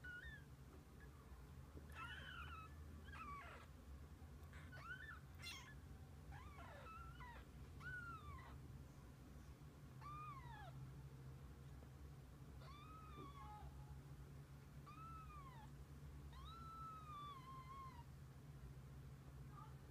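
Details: Kittens with their mother cat, spending the day together: a run of thin, high mews, each a short rising-then-falling arc, coming every second or two, over a steady low indoor hum.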